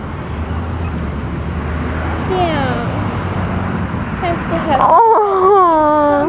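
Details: Prince, a 9-week-old Maltipoo puppy and runt of his litter, who likes to be near somebody, makes a soft falling whine, then louder drawn-out whimpers that dip and level off. Steady background hum and a woman's voice accompany him.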